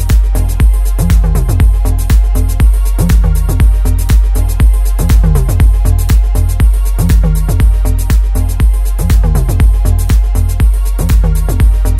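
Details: Electronic dance music with a steady thumping beat and synth lines throughout, no animal voice heard.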